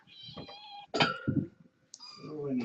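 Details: Indoor kittens, part of a litter of four females and two males born August 29th, watched in the evening while a webcam is set up: several high, thin meows with a brief human voice in between.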